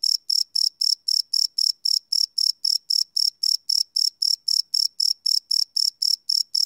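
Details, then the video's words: Crickets chirping at night, recorded live on a Sony PCM D100 field recorder: high, shrill pulses repeated about four times a second in a steady, even rhythm, with no other sounds. "Cricket Chirp Sound - Cricket Sounds at Night"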